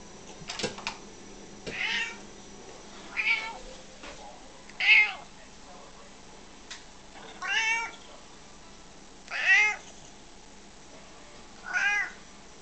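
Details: Domestic cat meowing indoors: six short arched meows spaced roughly every two seconds, each a brief rise and fall in pitch, with a few clicks and knocks near the start.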